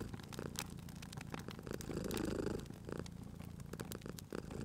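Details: Sleeping cat at a fireplace, purring in a cozy spring atmosphere; one brief low rumbling purr swell in the middle, surrounded by busy crackling and popping of the fire.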